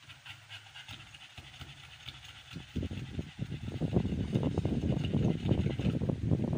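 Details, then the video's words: Amber, a female American Bully in labor on the 56th day of her first pregnancy, is barely audible at first. Rapid, breathy, rhythmic panting then starts near the third second and grows louder and steadier to the end. "LABOR DAY / 56th DAYS OF PREGNANCY / FIRST TIME NI AMBER THE AMERICAN BULLY"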